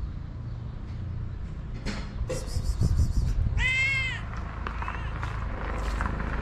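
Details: A hungry white stray cat with blue eyes in Morocco lets out one loud, drawn-out meow with rich stacked harmonics, preceded by faint shorter mews, over low traffic rumble.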